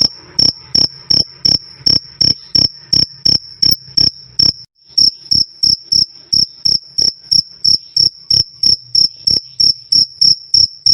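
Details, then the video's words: Loud, clear "krik krik" cricket chirping, from a recording featuring black jliteng, forest, kalung and cliring crickets. Sharp high-pitched chirps repeat about three times per second with a low hum underneath and a brief pause near the middle. "Suara Jangkrik "Krik Krik" Keras Dan Jernih"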